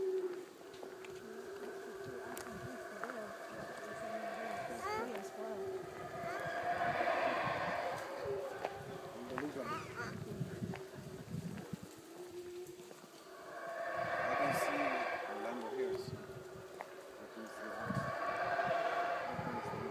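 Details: Howler monkeys near the visitor center at Xunantunich, Belize; deep, swelling roars build and fade in long waves with pauses between bouts, and some clicking handling noise.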